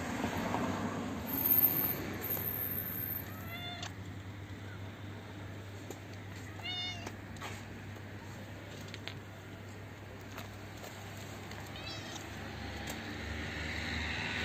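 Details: Hungry old stray she-cat with no teeth, poor eyesight and lost sense of smell, approaching to be fed; three short harmonic meows spaced several seconds apart, with faint clicks and a constant low urban drone.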